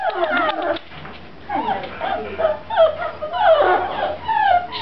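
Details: Seven-week-old puppies in their indoor pen whimpering: thin, high, wavering whines rising and falling, overlapping in short bursts, with a faint low hum beneath and brief human voices.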